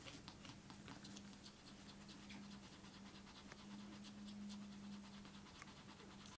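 Spitz puppies nursing, with soft, rapid wet smacking clicks and a faint steady hum beneath.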